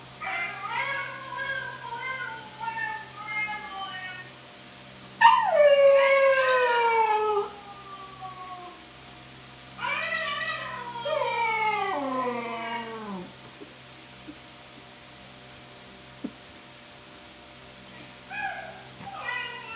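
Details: A young Siberian Husky puppy howls at a phone in long, wavering, sliding cries with short yips between them.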